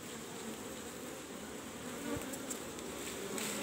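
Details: Asian honey bees (Apis cerana) buzzing at a cultivated hive box during a honey harvest in Indonesia; a steady, dense low hum with faint higher whines and a few soft knocks.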